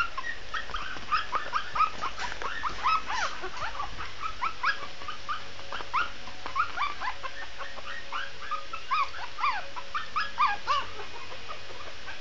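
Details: Shih Tzu puppy giving a steady string of short, high yipping whines, many brief rising-falling notes packed close together over the whole stretch, with low background hum.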